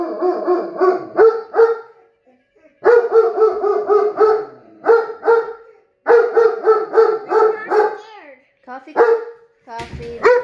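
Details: German Shepherd vocalizing in response to tornado sirens: choppy, pulsing yelps strung into howl-like bursts, repeated in groups with brief pauses between them.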